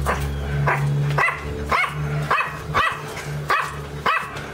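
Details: Dog barking in a fast, irregular series of sharp barks, about eight in under five seconds, over a steady low hum running beneath throughout.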